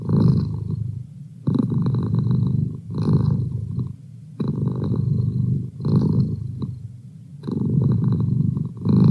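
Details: Domestic cat named Merlin purring steadily indoors, a deep low rumble swelling on each breath in about five long phrases with brief quiet gaps between them.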